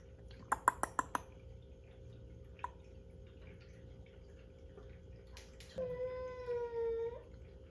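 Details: A domestic cat making a strange sound. A few sharp clicks and taps come first, then a quiet stretch, then a single drawn-out tonal wail lasting just over a second.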